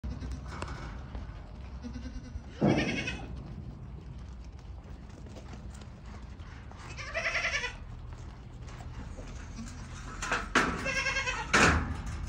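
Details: Yemeni goats, a fine breed, at al-Muzahimiyah; several wavering, harmonic bleats rise above a steady low rumble, with a loud bleat near the start, another midway and a cluster at the end.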